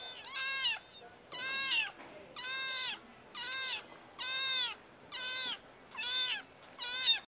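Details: Seven evenly spaced kitten meows, each loud, clear and arching up then down, repeated a bit faster than once per second over a faint quiet background.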